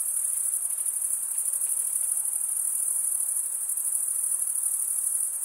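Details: Crickets, males stridulating by rubbing one wing across the toothed vein of the other, form a dense, unbroken high-pitched trill that holds steady, with faint lower hiss beneath.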